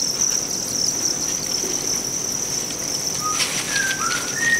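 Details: Farmed Thai crickets in Vietnam give a steady high shrill trill. Toward the end a few short whistled bird notes and a rustle break through.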